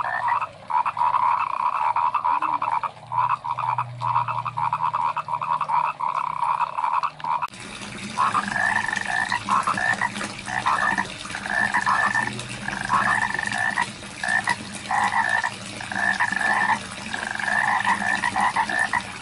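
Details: Croaking frogs in rice paddies, continuous chorus at first, then after a sudden shift the calls come as short repeated bursts of about a second each over a noisier background.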